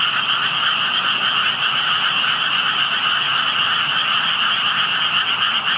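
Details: Hidden frogs calling near water where only tadpoles could be seen; many voices merge into a continuous, even trilling drone, high and mid-pitched, holding steady in loudness throughout the short stretch.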